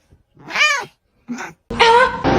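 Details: A pet cat lets out a short arched meow that rises and falls, followed by a brief quieter sound and then a burst of mixed noise, recorded indoors.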